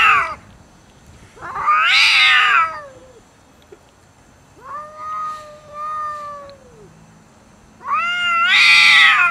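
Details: Cats quarrelling loudly over food; a harsh screeching burst, then a long level moaning yowl that swells and fades, ending in another raspy scream.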